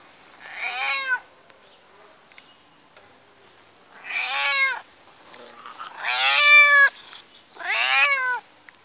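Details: Fully black cat from Pakistan, called dangerous, meowing repeatedly: four loud, strongly harmonic, drawn-out wails about one to two seconds apart, each rising then falling, in a quiet room.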